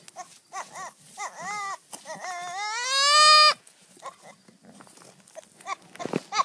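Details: Goats in a humorous compilation make several short rising bleats, then a long, loud, strained bleat climbing in pitch for over a second, with scattered softer sounds afterward.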